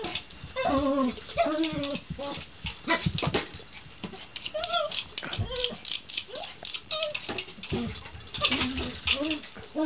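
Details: Excited little male poodle, seven pounds, playing with his teaser ball around furniture, makes happy sounds: a run of high, wavering whines and yips that rise and fall, mixed with knocks of the ball.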